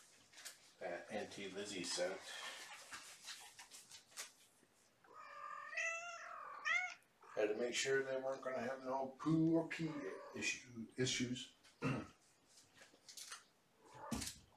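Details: Kittens from Mama Gamora's litter of five, born April 14th, at bedtime indoors during lap and play time; a run of high, wavering, rising meows sits between stretches of human talk, with soft clicks and rustling throughout.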